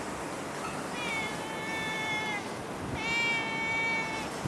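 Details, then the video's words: A stray cat in Singapore lets out two long, level meows, each lasting over a second, separated by a short pause, against constant low hiss. "Cute Stray Cat loves Auto in Singapore of Asia"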